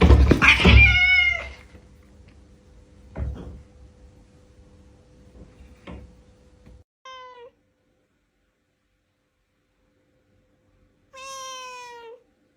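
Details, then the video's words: Cat expressing its emotions through meowing, live sound: a loud, harsh meow opens, a few knocks follow, then two short meows, each sliding downward, about four seconds apart in otherwise quiet surroundings. "CAT MEOWING"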